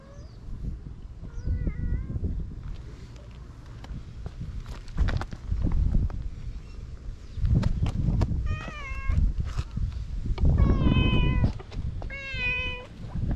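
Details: Stray brown tabby-and-white cat met on a cat island gives a series of meows while being tickled, recorded on a GoPro. The meows are short and nasal, some rising then falling, over low rumbling and rustling handling noise.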